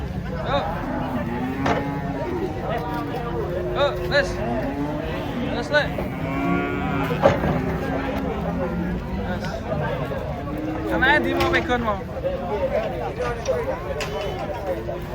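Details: Big, ill-tempered cattle unloaded from a truck, giving repeated brief lowing calls spread through the recording, mixed with busy human chatter, shouts and engine noise.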